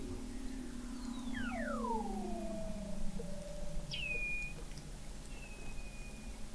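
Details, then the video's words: Under Antarctic sea ice in McMurdo Sound, November 2017, Weddell seals give long descending glides that level off into a steady tone, then two short, sharp chirps that drop quickly to flat, high notes. "Song of the Antarctic Weddell Seal"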